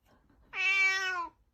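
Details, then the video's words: Domestic cat giving a single clear meow, a harmonic tone holding steady for under a second then falling slightly at the end, indoors in a quiet small room. "Funny Cats Trying to Meow"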